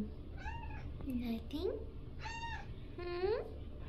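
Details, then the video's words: Indoor pet cat, unusually talkative and loud, giving a quick series of short meows and chirrups, several rising sharply at the end, roughly one call per second over steady low background hum. "meow mew meowr"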